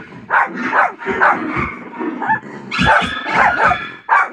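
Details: Short, dense run of excited barks and yips as Buster answers dogs barking on a television, the barks following each other about every half second.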